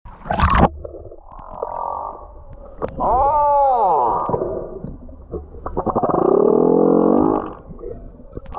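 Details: A large male humpback whale, come to Tonga to find a mate, sings long, arching harmonic moans that rise and fall, with rough buzzy tones between them, while circling the islands.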